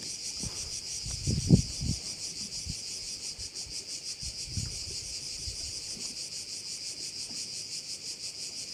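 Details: Crickets at a bay in Korčula keep up a continuous high buzzing drone with a soft pulsing rhythm, while several low thumps and knocks break in near the start and again around the middle.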